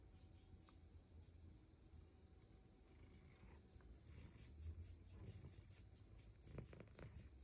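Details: Female Bengal cat named Luxe enjoying belly rubs and head scratches, giving a continuous deep, rattling purr with soft rustling of handling toward the end.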